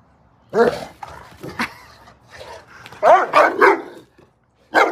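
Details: Dog at play in snow barking: an opening sharp bark, a second a second later, then a quick cluster of three or four rough barks, a short pause, and one final bark, with soft huffing between.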